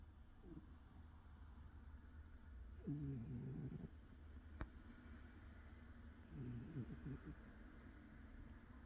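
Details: Old cat asleep, making two soft fluttering snores about three and a half seconds apart, low and buzzy, with a sharp click between them and steady low hum throughout.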